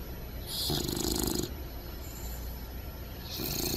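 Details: Sleeping puppy snoring without a care, soft raspy breaths drawn in long noisy pulses, one near the start and another beginning at the end, with a faint steady hiss between.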